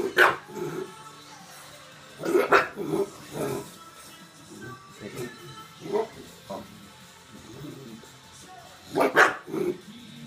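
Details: Tinkerbell, a pet bulldog, begs for marshmallows she loves with sharp, loud barks at the start, again about two seconds in, and near the end, mixed with softer grunting vocal sounds, faint music and a little human speech in between.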